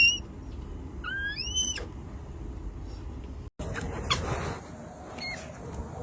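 A red panda gives high, thin squealing calls that bend upward, a few in quick succession.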